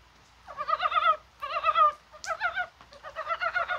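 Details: Korean brown frogs calling on a rainy, spring-like January 21st, possibly while spawning: several bursts of rapid, throaty clucking pulses, each burst lasting about half a second, one briefly overlapping another caller, with a sharp click between.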